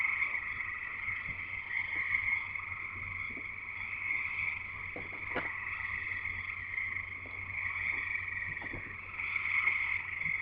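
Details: Frogs singing in a thick chorus at a house in Escanaba, Michigan, Upper Peninsula: continuous high trilling with a lower band, a few scattered clicks and one sharp tap near the middle, low hum underneath.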